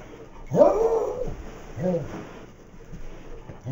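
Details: Beagle named Max lets out one drawn-out, arching bark followed by a shorter, lower one, then quiet indoor background.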